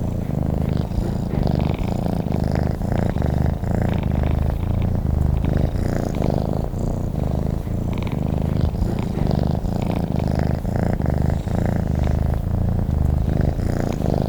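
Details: Sleeping cat purring continuously, a deep, even rumble with regular pulsing breaths throughout, close and loud with no other sounds.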